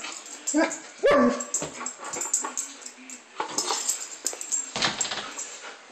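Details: Playing German Shepherd gives one sharp, rising-then-falling yelp, then softer huffs and scuffling noises against a steady hiss.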